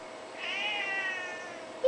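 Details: Old, fat Siamese cat meowing at its owner: a single soft, drawn-out meow, level then gently falling, over a steady background hum.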